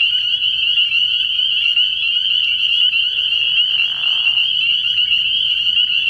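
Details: Spring peepers in full night chorus at a frog pond early in the year. A loud, relentless high-pitched peeping hum, with a few nearer callers pulsing rhythmically beneath the main ringing band.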